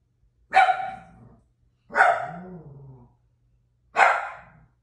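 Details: A domestic pet dog barking at home: three loud, sharp single barks about one and a half seconds apart, each with a short fading tail, in an otherwise quiet setting.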